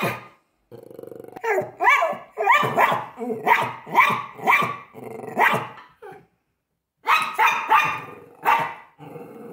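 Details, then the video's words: Pomeranian dog in an altercation with a deer, reacting to the bigger animal; sharp barks come in irregular bursts with growly undertones and brief pauses between volleys. "Pomeranian vs Deer"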